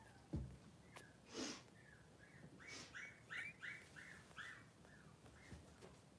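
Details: Three-day-old Blenheim Cavalier King Charles Spaniel pups, two boys in a newborn puppy pen with mother Pom-Pom. A string of short, thin, whistle-like squeaks in a rising-and-falling series, mixed with a few bumps and brushing noises.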